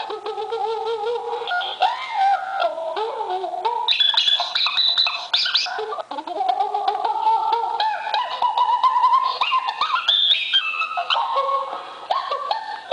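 A monkey gives a run of squealing, sliding calls that rise and fall in pitch.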